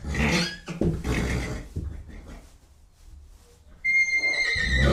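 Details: Horse making loud, breathy snorting blasts, then a quiet pause, then a sudden high, steady whinny that begins near the end in a small indoor space.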